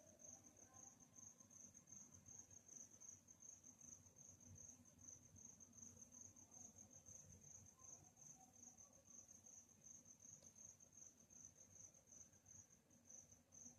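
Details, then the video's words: Crickets on a calm night keep up a bright, high-pitched pulsing chirp without pause over a steady low background hum and a few faint, scattered mid-range sounds. "Night Chirping Sounds"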